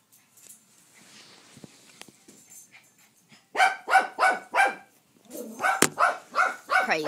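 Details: Domestic dog barking at the mail man, a few quiet sounds at first, then a burst of five loud, evenly spaced barks, a brief pause and a rapid run of repeated barks, roughly three each second, to the end.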